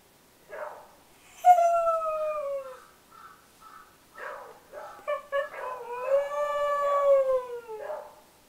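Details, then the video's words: Siberian husky, a dog that rarely barks, howling: short rising yips at the start, then long drawn-out tonal howls that slide downward, the second one wavering and broken into short notes before a final sustained descending howl. "Howling husky"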